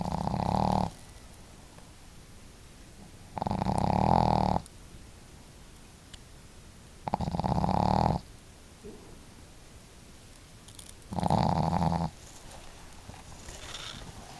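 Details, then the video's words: Two family dogs, the female Marimo with her hearty snore and the quieter Daigoro, sleeping and snoring together; four steady, buzzing snores come at regular intervals of about three and a half seconds, with calm breathing between. "可愛いイビキ snore"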